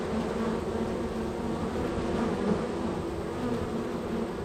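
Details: Honey bees bustling at a hive in a row of hives; softer, even droning buzz from many wings, with short brighter whines of passing bees around two and a half seconds.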